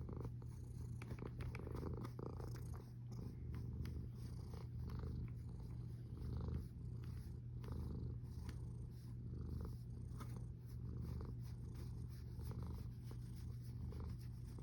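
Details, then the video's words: Snoring cat filmed 1 August 2021 at 13:27. A dense low rumble swells and fades in slow breathing cycles every second or two, with almost nothing higher. "Храпящая кошка Snoring cat"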